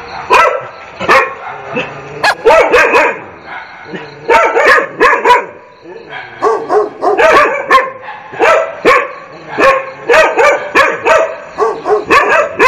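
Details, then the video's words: Continuous barking with clustered, echoing barks that overlap in quick succession, brief lulls between bursts, and a faint murmur of voices beneath the dogs. "DOG BARK TEST"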